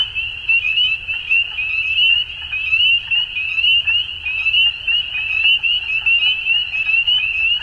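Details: Frogs calling at dusk in spring in Ontario, Canada: a dense, continuous high trilling chorus of many overlapping callers, steady throughout with slight pulsing, faint low rumble beneath.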